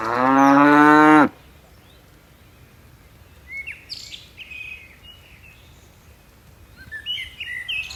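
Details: One strong, rich moo lasting just over a second from a herd of tame cattle bounding down a mountain slope, followed by quiet with scattered chirping birds.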